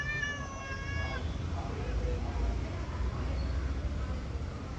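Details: Mufasa, a pet cat, meows while its owner talks to it in Telugu about putting a bag inside the house: one clear harmonic meow lasting about a second, then low rumbling background noise.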